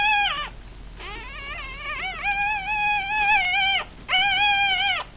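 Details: Three-day-old Rat Terrier x Chihuahua pups from a litter of six, eyes closed, feeding; long drawn-out wavering whines lasting up to three seconds, tonal and insistent, with a brief break before another sustained cry.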